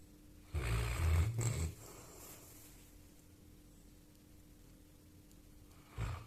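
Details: Sleeping Labrador puppy snoring: one rough, low rumbling snore lasting about a second, a stretch of quiet breathing, then a second short snort-like snore near the end, over a faint steady hum indoors.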